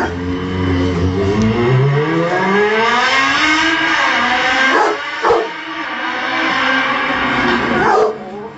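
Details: Motorbike noise sets off a female Rottweiler. Her drawn-out howl climbs at first, then holds a steady, richly layered tone over a continuous engine drone, with brief clicks and knocks near the end.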